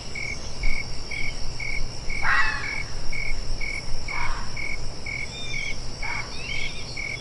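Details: Fox giving three short, harsh barks spaced about two seconds apart, each a brief rough burst. Steady high cricket chirping pulses behind throughout.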